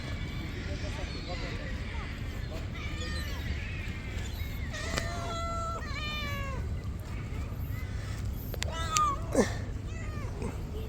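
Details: Hungry stray cats being fed one morning, several cats giving a series of rising-falling harmonic meows, some drawn out, others short, with a person talking and calling to them over low outdoor rumble.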